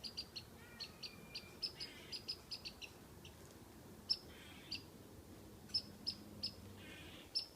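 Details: Squirrel up a tree teasing a cat with whistles: bursts of short, high, clipped chirps, quick runs broken by pauses of a second or more, plus a few softer lower rasping sounds between the bursts.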